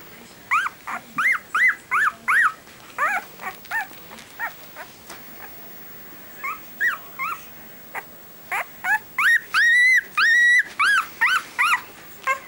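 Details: Five-day-old Siberian Husky puppy named Alice Cullen from the Twilight litter, whimpering in a series of short high rising-falling squeaks, then longer sustained whines near the end, with faint handling noise.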